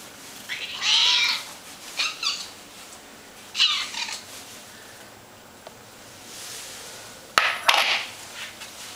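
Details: Ocicat kittens meowing as dinner is served, smelling fresh calf liver instead of their usual dry food; bright high meows in short bursts, several overlapping, with quiet pauses and a sharp click near the end.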